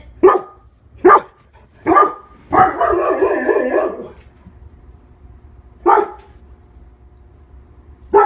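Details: Lola, a one-year-old female Labrador Retriever kept as a pet, barks in sharp single woofs about once a second, then gives a longer harsh rolling bark-growl; two more isolated barks follow after a pause.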